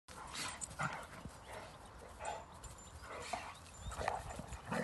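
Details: Rhodesian Ridgebacks playing during leisure time after the 2021 national breeding show in Châtel Guyon: scattered short gruff barks and yips amid thumping and rustling of playing dogs.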